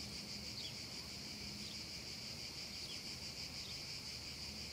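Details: Steady shrill hiss of cicadas on a hot summer afternoon above a grassy field, unbroken throughout, with occasional faint bird notes and a soft low murmur underneath.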